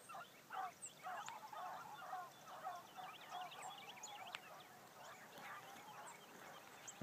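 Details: Morning hunt with hounds, a new Blackcreek gyp on her first run among them; distant bawling bays repeated about twice a second, uneven rhythm, several dogs overlapping, while small birds chirp and twitter throughout.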